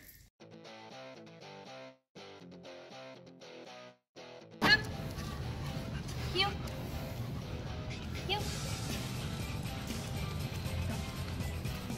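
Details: Gentle plucked-guitar music breaks off into a person talking over outdoor background noise, with no animal sound.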